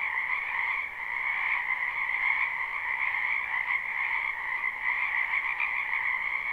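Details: Many frogs croaking in a wetland behind a house in spring, a live recording with no looping; a dense, continuous chorus of trilling calls in two steady bands, one mid-pitched and one higher, blending into an unbroken wall of sound.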